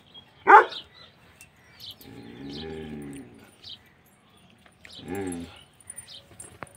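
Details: Bully Kutta. A Bully Kutta puppy lets out a single abrupt, harsh bark near the start. Two longer, steady, tonal sounds follow, like whines or low vocalizing, with faint background clicks and rustles.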